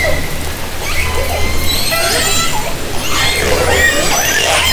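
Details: Orca calls taken by hydrophone in Haro Strait, summer 2010: faint wavering harmonic squeals building into a denser cluster near the end, over a persistent low hum.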